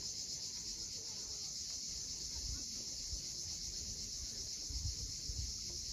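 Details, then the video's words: Sunset cicada chorus from the steep coast of Cape Fiolent, Crimea, a constant high buzzing drone above the low surging roar of waves breaking against the shore. "Cicadas at sunset."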